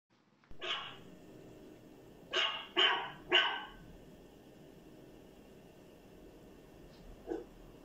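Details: Dog barking indoors: one bark, then a quick run of three sharp barks, and a faint final bark after a pause, over quiet room hum.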